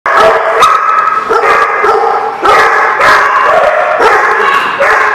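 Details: Many dogs barking together, recorded 4/11/16: dense, overlapping harsh barks in bursts roughly every half second to second, forming a continuous loud chorus with no quiet gaps.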